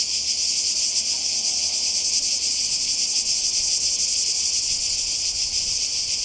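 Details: Cicadas calling by the sea in Croatia during a summer 2020 holiday, producing a dense, unbroken high-pitched buzzing drone that holds steady in loudness with a faint rapid shimmer throughout.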